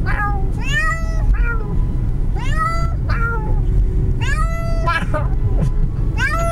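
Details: Cat on a car ride, meowing the whole time: loud, plaintive meows repeated roughly every second, each bending up then down, against constant road rumble.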